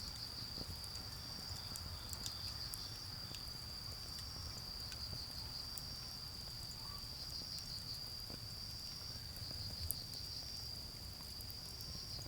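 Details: In a garden bonfire setting, autumn insects give a constant high trill with an overlying pulsed chirping layer coming in bursts, alongside light fire crackles and distant road noise.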